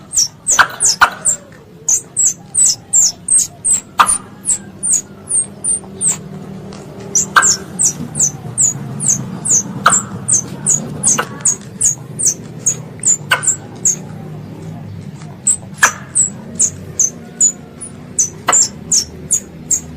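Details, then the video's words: A long series of high, falling chirps from a squirrel calling its mother, delivered in bursts about two or three per second, with occasional loud clicks and a soft low background rumble. "THE SOUND OF A SQUIRREL CALLING ITS MOTHER"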